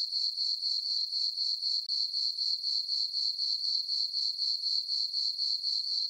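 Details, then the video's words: Farm meadow at night under a full moon in summer, crickets keep up a shrill, regular trill pulsed around four times a second, with one brief dropout near two seconds. "Cricket chirping sounds for sleeping - sleep and relaxation nature sounds at night"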